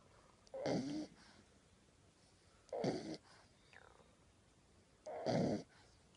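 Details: A 10-week-old male French Bulldog puppy snores while asleep with his tongue sticking out. He gives rough, rattling breaths about every two seconds.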